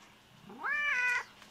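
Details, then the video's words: Lynx hybrid cat kept as an exotic pet, meowing at bedtime: one loud, sweeping call that climbs steeply, holds a bright harmonic-rich note, then cuts off sharply; quiet indoor background. "Lynx Hybrid - My Exotic Cats ! Bed Time."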